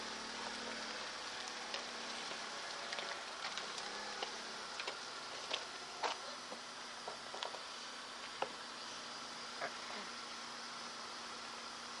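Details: Steady hiss with faint ticking and patter, like light rain on a car, and no animal voice standing out.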